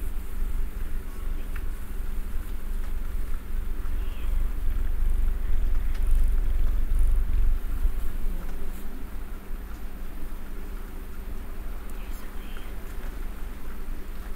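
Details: Mister Man, a pet cat, purring while snuggled and sitting in one position; a continuous deep low rumble with a steady, gently pulsing texture, faint rustling and a soft rising sweep near the middle.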